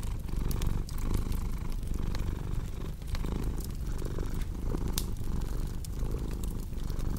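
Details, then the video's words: A domestic cat purring steadily, its low rumble swelling and easing with each breath roughly every 0.7 seconds, while a cozy fireplace crackles and pops sharply above it. "Purring Cat"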